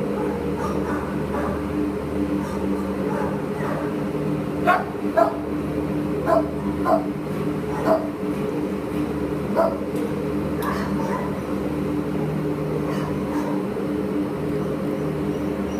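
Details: American Pit Bull Terrier up for adoption, recorded 22 July 2015: short sharp barks come in scattered bursts, most thickly in the middle stretch, over a steady low electrical hum and room noise.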